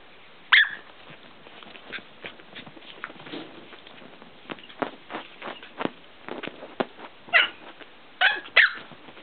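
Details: A tiny female Chihuahua lets out a single shrill yap, then after a quieter stretch three more near the end, with soft taps, rustles and clicking handling sounds between.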